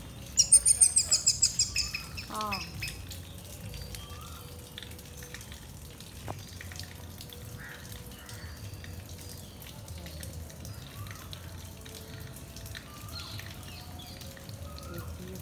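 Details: Squirrel calling as a baby squirrel is handed back to its parents: a rapid burst of high, sharp chirps, roughly eight a second, lasting under two seconds, followed by a quieter stretch with faint splashing and low background noise.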